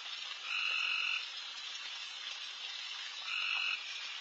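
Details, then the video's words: Frogs calling loudly all over a backyard at night during a deer feeding. A constant hissing chorus, with two prominent grating trills near the start and end, each lasting under a second. "Night Deer... with Frogs in surround sound"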